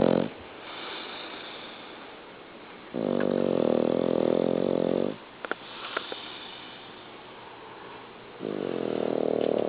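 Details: Norman the dog snores in his sleep indoors: two strong, gravelly inhaled snores separated by hissing breaths and a couple of small taps, the rhythm slow and steady.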